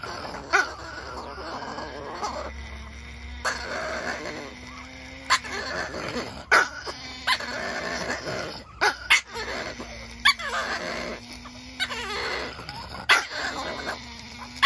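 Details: Chihuahuas arguing: sustained low droning growls with wavering tones, broken by sharp yips and snaps every second or two.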